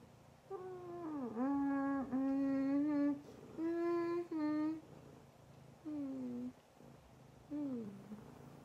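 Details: Fawn Abyssinian cat meowing loudly: about six drawn-out, harmonic meows, several dipping in pitch then levelling off, some paired in quick succession, separated by short pauses over quiet background.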